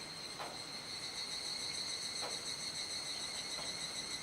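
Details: Cicadas in a massed evening chorus in Kuji, Iwate, Japan, mid-July 2017 during the rainy season, just after seven in the evening. A continuous high ringing drone with fast regular pulsing and a few faint soft clicks underneath.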